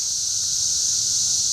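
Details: Schroeder Park in Ballwin, Missouri, filled with cicadas in the trees: a shrill, constant, sizzling drone at one steady loudness from start to finish.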